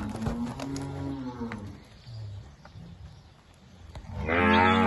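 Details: Two cows moo at a livestock auction lot, a drawn-out low lowing call at the start, then a louder, higher moo rising near the end; background music faintly present.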